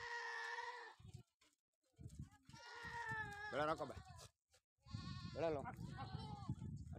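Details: Sojat goat bucks on a goat farm in Indave, Sakri taluka, Dhule district, kept for sale for next Eid; loud wavering nasal bleats open the recording and return twice more, overlapped by men talking and calling to the goats.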